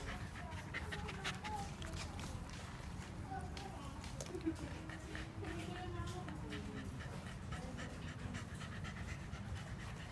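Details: Shiba Inu panting after its second morning walk on 14 November 2015, having run alongside a bicycle for exercise; quick, breathy huffs repeated several times a second, with faint tonal murmurs and steady low background rumble.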